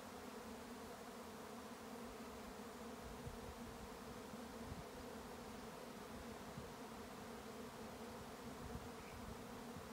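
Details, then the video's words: A swarm of bees on a regenerative farm in County Kilkenny, Ireland: a dense, steady, low droning hum made by many wings, unbroken and even in loudness throughout, with no other clear sounds. "A swarm of bees & a most recognisable sound once you’ve experienced it"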